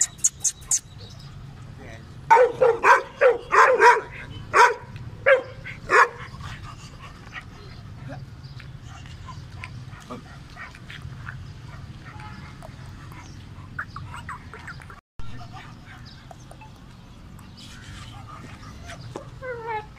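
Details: Kohati Gultair dog giving a burst of about six loud, sharp barks in quick succession early on, followed by a long stretch of quieter background with faint voices and scattered distant noises.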